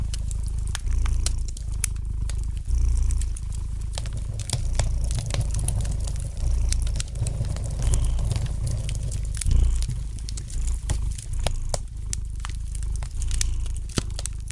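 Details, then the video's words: Cat's soft, relaxed purr, a low throbbing hum pulsing in slow breath cycles, accompanied by frequent crisp pops and snaps from a fire crackling in the fireplace. "Relax to the gentle purring of the cat and the light crackling of the fire in the fireplace!"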